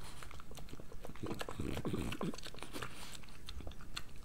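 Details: Pregnant French Bulldog named Moolah eating her breakfast indoors: close, crunchy bites and chewing in quick irregular bursts, louder in the middle, in a quiet small room.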